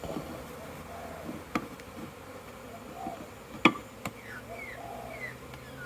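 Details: Busy hive with bees doing orientation flights, 22 September 2022, many in and around the entrance; a softer background hum, several bees zipping past with quick pitch swoops, and a few sharp knocks.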